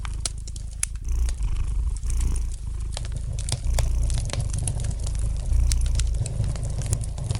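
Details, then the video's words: Domestic cat purring gently beside a fireplace: a low, steady rumble that swells and fades with each breath, about every second, while sharp pops and crackles of burning wood sound throughout. "Relax to the gentle purring of the cat and the light crackling of the fire in the fireplace!"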